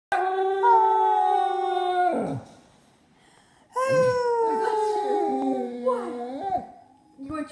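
A Basset Hound gives long, mournful howls, each a sustained tone that wavers and slides downward.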